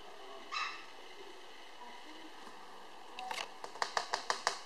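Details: Apricot Toy Poodle puppy, a small male weighing 800 g, recorded on 24 July 2013: one short high yelp, a pause, then a quick run of five sharp yaps about a quarter-second apart indoors.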